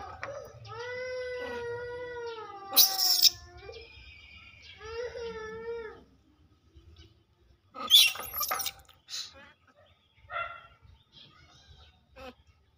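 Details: Pet monkeys, with big monkeys greedily snatching from and hitting small monkeys; two long wavering, harmonic-rich cries of about two seconds each, then sharp shrieking bursts and a few short cries among quieter pauses.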